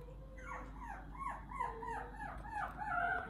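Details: Tiny toy poodle puppy weighing 600 g, in good health, giving a rapid series of about eight high, wavering whimpers and whines over three seconds, each note bending down then up, with a steady low hum underneath.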